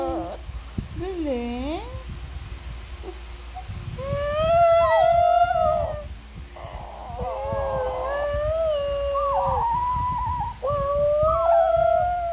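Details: Shih Tzu (Canis familiaris), howl.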